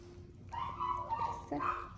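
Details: Full after a meal, Dubu the ten-year-old Maltese, kept in hospital ahead of an operation, lets out a long steady whine, then a second, higher whine in a small indoor room, with a woman speaking softly nearby.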